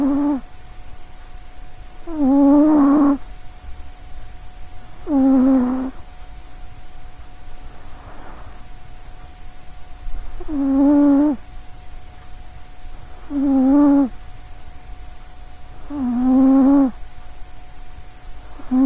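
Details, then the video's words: A sleeping short-legged female cat nicknamed Sausagecat snores quite loudly right beside a microphone; a steady series of about seven humming, slightly falling snores at intervals of around two to three seconds. "sausagecat snoring"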